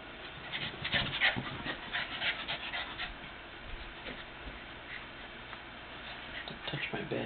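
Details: A playful female Lhasa Apso puppy, filmed 16 June 2007, gives short whimpering yips and panting breaths while people talk nearby.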